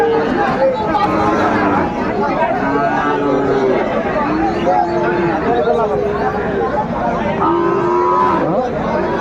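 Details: Sahiwal bull calves for sale at Raniganj cattle market, Dinajpur, on 20 February 2025 as trading begins; several low, drawn-out moos with steady tonal contours rise above constant crowd chatter and bargaining voices.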